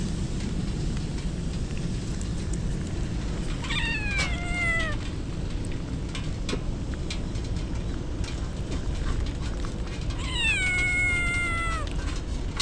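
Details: Rain-drenched stray kittens crying during an approaching typhoon: two long, downward-sliding meows about six seconds apart, each near a second and a half, over steady rain noise and scattered drips.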